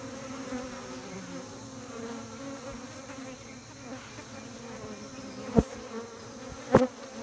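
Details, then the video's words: Honey bees at a beekeeping hive giving a steady low hum with layered droning tones, two sharp knocks near the end. "Humming Buzzing Noise Of Bees"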